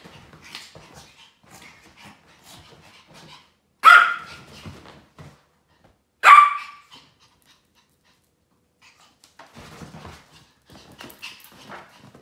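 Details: Two Maltese dogs playing indoors, zooming around in chase-like antics; two short sharp barks about two and a half seconds apart stand out over soft scuffling, panting and quiet household movement.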